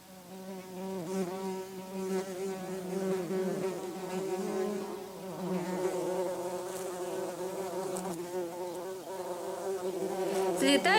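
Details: Worker buff-tailed bumblebees fly back to their relocated nest and take in the returned cocoons, with the queen on top. A loud, steady low buzz with rich wavering overtones swells and dips as the insects circle close by.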